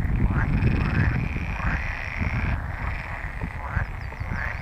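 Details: Pool frogs calling on 24 April 2022 at the Empese en Tondense heath in the Netherlands: a dense chorus of overlapping rapid croaks and rattling trills with a steady low background rumble.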